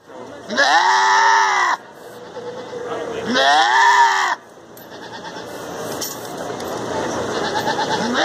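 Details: Goat screaming: two loud, drawn-out, strained bleats, each over a second long with a wavering harmonic pitch, separated by a pause, followed by quieter background noise and faint voices.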